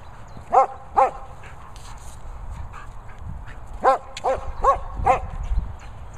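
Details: Lucy, a German Shepherd enjoying her boomer ball, barks in bursts: two quick barks half a second apart, a pause, then four rapid barks in close succession, with soft rustling between.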